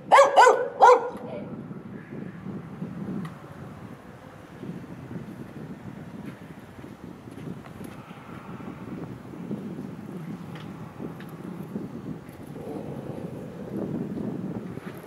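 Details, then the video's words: Dog barking in a fence standoff with another dog behind the fence, the two having growled, marked and barked at each other; a quick run of three loud, sharp barks opens, followed by a long stretch of low rumbling background noise. "Hund knurrt einen anderen hinter einem Zaun an. Dann wird gegenseitig makiert und gebellt."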